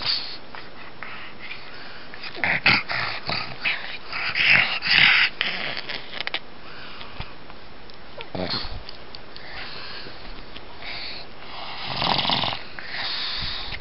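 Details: Pug named Gus at play, acting like a cat, wheezes in rough breathy bursts, loudest around the middle and near the end, with sniffing and quiet indoor stretches between.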